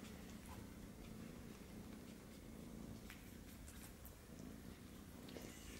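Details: British Shorthair kitten indoors, trying to get milk from a Siamese male cat; a low, steady purring hum runs throughout, with faint scattered clicks above.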